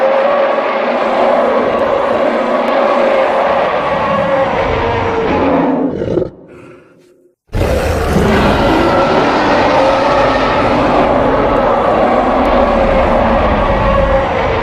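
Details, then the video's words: Sustained, loud, rough roaring from a western lowland gorilla, grunting and growling with pulsing texture, broken by a short drop to near silence partway before the harsh roaring resumes. "Primitive Western Lowland Gorilla Sound Effects"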